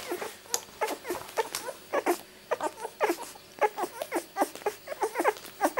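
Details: Two-week-old miniature Labradoodle puppies from Rosie's litter born 31 July 2009, indoors, giving a dense run of short high squeaks and whimpers, many overlapping, with brief pauses between bursts.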